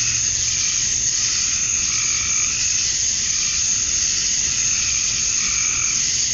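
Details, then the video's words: Male cicadas chirping to attract females at dusk on a summer night in Georgia, USA; a dense, unbroken high-pitched drone that fills the whole recording, with faint lower warbling tones drifting beneath it. "Cicadas at Dusk, Summer Night"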